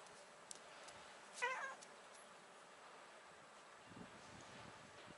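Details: Stray black-and-white tuxedo cat on a cat island, having its chin stroked, gives a single short, clipped meow, then quiet outdoor background with small scattered noises.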